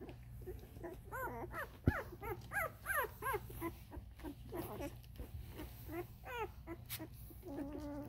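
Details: Vizsla puppies 13 days old whine and squeal in overlapping, arched, high-pitched cries.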